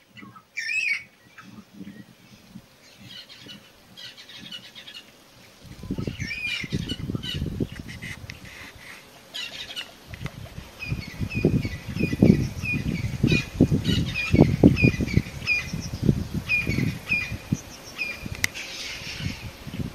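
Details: A cheetah mother in Phinda, Zululand, South Africa, gives high, bird-like chirps over low wind rumble, calling her cubs hidden in high grass after finding a safe place for them.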